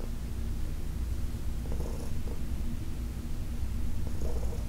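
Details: Heidi, a senior domestic cat adopted from the Humane Society of New York City, purring while being massaged on August 4, 2021; a steady low rumble throughout, with soft brushing strokes of the hands around two and four seconds.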